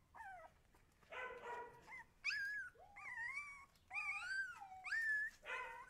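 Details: Husky puppies crying in short, high-pitched whining wails, some rising then dipping, others bending upward into squeaky howl-like notes, about one call every second with brief pauses between.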